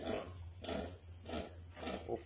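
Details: Domestic pigs on a farm where a sow has few piglets: low, rough grunts repeated about every half second, four in a row.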